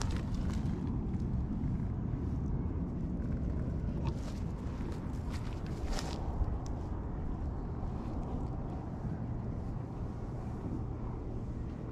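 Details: Steady low outdoor rumble like distant traffic or wind by a lakeside, with faint scattered clicks and no clear animal voice.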